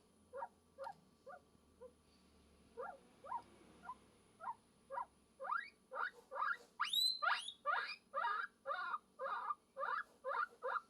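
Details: Guinea pig calling for love: sparse soft squeaks build into a loud, regular run of rising squeals with one piercing high whistle, over a low background hum.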